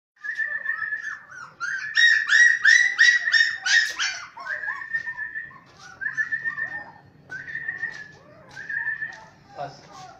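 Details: Russian Samoyed puppies giving high, whistled whines near one pitch, some in rapid pulsed bursts around two to four seconds, then longer drawn-out whimpers repeated through the rest; a faint low hum underneath.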